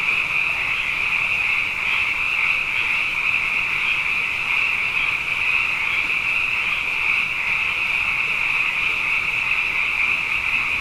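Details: Abundant frogs calling at night after two wet years in a row form a dense, steady chorus, a continuous high trilling band that never pauses across the whole stretch, with no other clear sounds.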